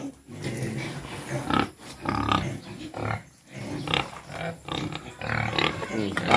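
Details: Quezon black pigs, native pigs kept on a farm at feeding time, giving short low rough grunts in uneven bursts, several a second at times, with brief pauses between and a faint voice in the background.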